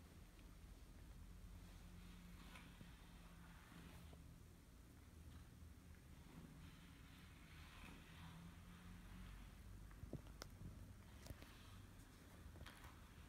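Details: Kimi, a male British Shorthair cat, purrs very loudly with pleasure while being brushed, stretching as soon as he notices the brush; a low, steady rumbling hum runs under scratchy brushing strokes and light handling noise.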